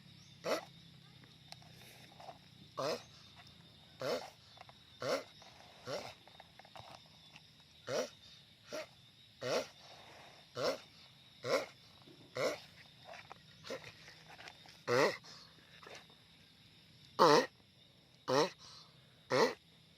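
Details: Loud repeated grunts from a giant sulcata tortoise: short, raspy bursts repeating roughly every second, some louder than others, with a low steady hum underneath.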